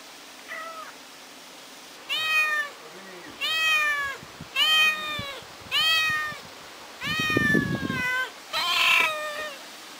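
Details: Ginger, a kitten left alone at home, crying and calling for its mother: six drawn-out, harmonic-rich meows after a faint opening one, each about a second long and spaced roughly every one and a half seconds, with a brief rustle between two of them.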